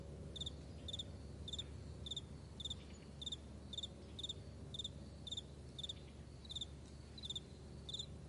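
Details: Chirping crickets in a morning meadow, bright, high clicks grouped in brief trills, repeated steadily about every 0.6 seconds across the stretch, against a quiet low rumbling background.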